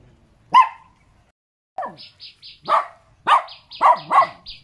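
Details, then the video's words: Small dog giving scattered yaps, a lone sharp bark then a gap, followed by a cluster of higher barks with a faint steady tone running alongside. "เสียงหมาเห่า หมาน้อยน่ารัก เห่าดีจัง"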